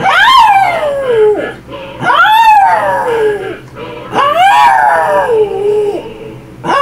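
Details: Pet dog howling along to a song: three long arching howls, each rising then sliding down, about two seconds apart, with faint music underneath.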